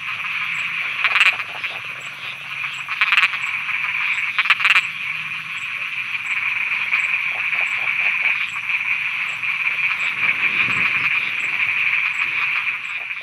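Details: Night chorus of frogs in Thailand, several loud abrupt croaks in the first five seconds over a continuous shrill droning background, later settling into a steady buzzing wall of sound.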